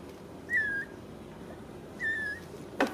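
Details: Ragdoll kitten from a home cattery in central Kansas, raised without cages; two high, thin mews about a second and a half apart, each slightly falling, with a quiet room behind and a brief knock at the end.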